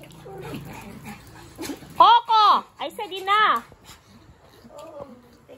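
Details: A Pomeranian, worked up and refusing to stop while playing with a Boston Terrier, gives two high, strained, yelping barks that slide downward, with people talking nearby.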